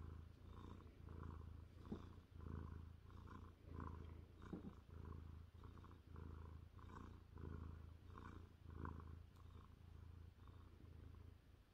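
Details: Jaguar, a happy 30-pound Maine Coon tomcat lying on a lap with his ears rubbed, gives a low, throbbing purr close to the microphone, rising and falling with each in and out breath in a steady rhythm.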